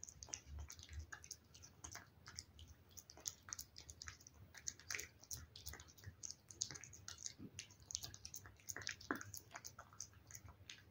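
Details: Domestic cat chewing wet food, recorded close up in a quiet room: dense, rapid run of sharp wet clicks and smacking chews, nearly continuous, with occasional louder squelchy bites.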